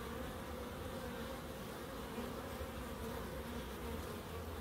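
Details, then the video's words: In a small Crookes wildlife garden, bees keep up an even, continuous buzzing hum, several wingbeats blending into one low, steady drone without pauses. "1hr of Relaxing Bees"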